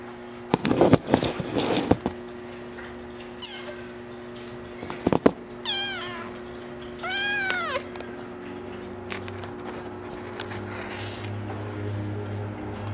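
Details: Female Maine Coon kitten, brown mackerel tabby and white, born July 17. After some bumping and handling noise at the start, she gives two clear, arched, falling meows, close together mid-clip, over a steady low indoor hum.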